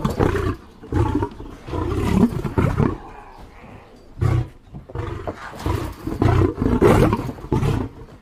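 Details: Lion roaring in deep, rough bursts about half a second long, repeated with short gaps, some overlapping grunts; no other sounds stand out.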